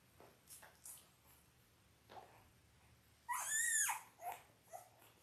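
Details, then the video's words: Five-day-old Labrador Retriever puppies from an eight-pup litter in a whelping box: a sudden loud, high squealing cry with wavering harmonics lasts about half a second, followed by softer squeaks and faint rustling. "5 Day Old Labrador Puppies"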